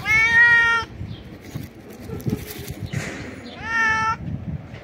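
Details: Stray cat jumping and screaming loudly to express joy at food: two loud, drawn-out harmonic meows, the first about a second long, the second starting low and rising, with street noise and rustling between them.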